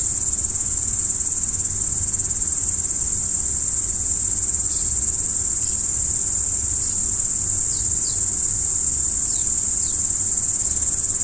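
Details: Steady cricket song at night, bright and high, throbbing rhythmically around three pulses each second, joined in the second half by scattered quick falling chirps above a quiet low rumble.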